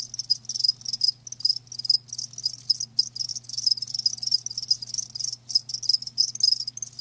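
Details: Crickets, kept live, produce dense high-pitched chirps in rapid repeated pulses, almost continuous with short breaks; a low constant hum sits beneath the insect chorus.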